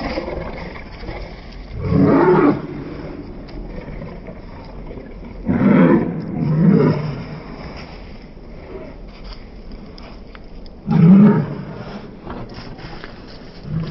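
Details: A pair of Cane Corso protection dogs, female and large male, roughhousing in play at home; three separate deep, harsh growls roughly every four to five seconds, with quiet scuffling between them.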